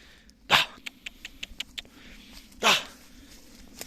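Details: Kangal shepherd dog out with sheep as they are gathered, giving two sharp loud barks about two seconds apart, with lighter ticking sounds between them.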